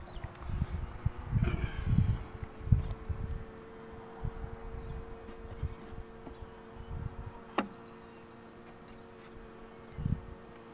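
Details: Honey bees humming as the queen box is pulled, a steady droning hum with even tonal bands throughout, punctuated by low thumps and knocks of handling and one sharp scrape near the end.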